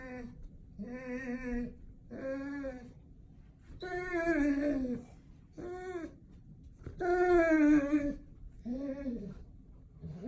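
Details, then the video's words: Indoors, an excited Golden Retriever greets its owner with odd, Chewbacca-like sounds: a series of about eight moaning, howl-like tones, some short and some long and wavering, rising and falling, separated by brief quiet gaps in a small room. "Do I Have A Golden Or A Chewbacca | Weird Sounds My Dog Makes"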